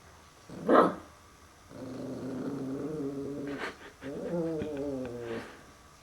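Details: Puppy named Max facing a mirror for the first time indoors, giving low rumbling growls with whiny harmonic tones, two drawn-out bursts after a short sharp huff, while a person softly reassures him.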